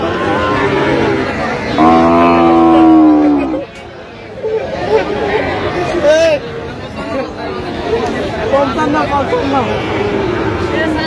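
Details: Sahiwal bull calves at a cattle market in Brahmanbaria, Bangladesh, on 21 October 2025. One long, loud, steady harmonic moo lasts about two seconds, set against busy market chatter and bargaining voices.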